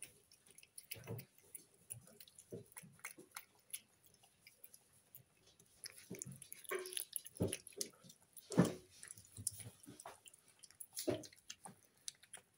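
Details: Female Snow Lynx Bengal pet cat chewing her food indoors, a loud eater: irregular soft thuds and wet crunches, now sparse, now in bursts, with a louder bite near the middle.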